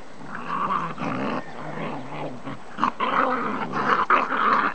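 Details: A Welsh Terrier and a Staffordshire terrier face off, giving harsh, continuous rumbling growls broken into rapid pulses, with louder snarling bursts in the second half.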